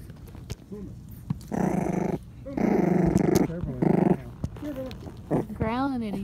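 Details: Five-week-old Patterdale Terrier puppies play-growling at each other inside an earth tunnel made from black PVC pipe; three rough, buzzy growl bursts, then a wavering high whine, with a person calling to the puppies in between.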